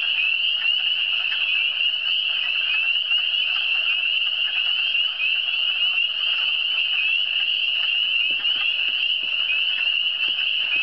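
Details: Eastern Townships frogs produce a continuous shrill chorus of overlapping high trills, unchanging in pitch, with a few soft low knocks toward the end.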